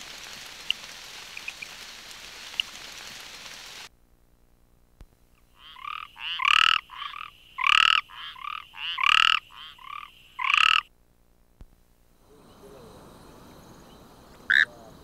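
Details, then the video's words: Frog from South Africa giving a loud series of harsh, pulsed croaks, about six strong notes with softer ones between, after a stretch of rain-like hiss; the hiss returns once the calling stops. "Frogs and their calls"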